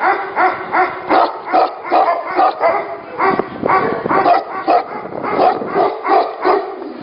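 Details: Tibetan Mastiffs at a mastiff factory, deep barks overlapping unevenly as if several dogs call at once, roughly two to three woofs per second over a constant background murmur of more barking.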